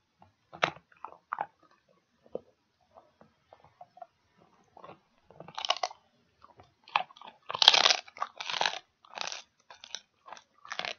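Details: Pig ear being chewed by a dog indoors: sparse clicks and soft bites at first, building to dense, loud, crackling crunches in quick succession during the second half.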